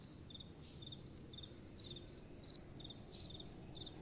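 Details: Crickets chirping at night in soft wind, quieter, high trilled pulses recurring roughly every half second, with a few short whooshing rising notes over a low wind bed.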